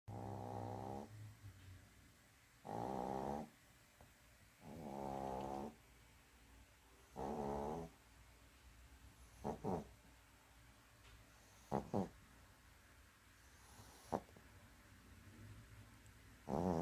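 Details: Sleeping dog snoring: loud, rasping, harmonic-rich snores about every two to two and a half seconds, fading to softer breaths with a few brief sharp clicks and snorts toward the end, in a quiet room.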